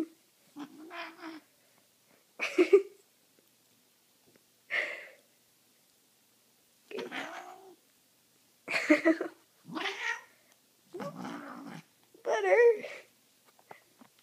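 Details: Butter, a pet male cat, on a catnip-sprayed blanket indoors, gives a run of about nine throaty, wavering meows and chirrups spaced a second or two apart, some rising then falling, in a quiet room.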